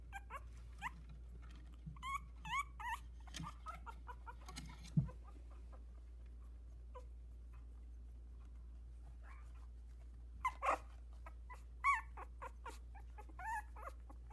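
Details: Sixteen-day-old Havanese puppies, four brothers walking in a whelping box with one trying to climb out, utter thin rising-and-falling whimpers and yips in scattered bursts, with quiet gaps and a low room hum underneath.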